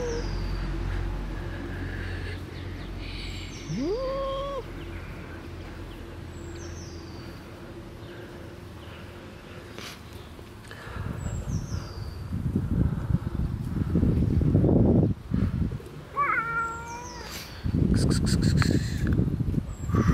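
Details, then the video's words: Two cats outdoors, a friendly black cat and an unfriendly other cat: a short rising meow early on and a second, higher, tonal cry near the end, over thin high bird chirps and low rustling noise. "Friendly black cat and not friendly other cat"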